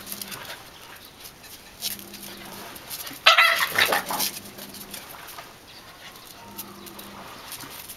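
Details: A Welsh Corgi puppy, one of a 3-month-old male and a 6-month-old female, gives a single sharp, loud bark against a quiet indoor background.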